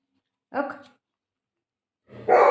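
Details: A Shih Tzu at play with its owner indoors lets out one brief bark, falls silent for over a second, then starts a louder, fuller bark that is cut off at the end.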